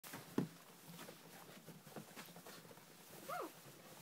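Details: Five-week-old puppies in the snow give a brief high whine that rises and falls, after a soft low grunt.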